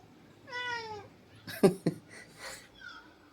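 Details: Pet cat indoors giving one drawn-out harmonic meow, followed by a few sharp knocks and faint rustling, with a second softer meow near the end.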